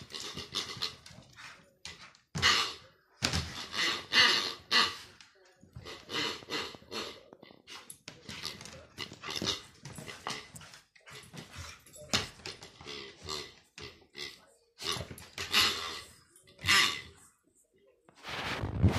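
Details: Indoors, the dog Kaos romps with a new pig toy, panting hard in noisy repeated bursts with the odd snort or short bark-like huff, broken by brief quiet gaps and scuffling sounds of play.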